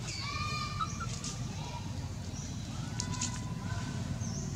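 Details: Monkeys: mother Anna, without milk, fights and drags her skinny baby Anissa with both legs. A harmonic scream-like call rises briefly at the start, with fainter tonal cries later, over heavy low rumbling wind or handling noise.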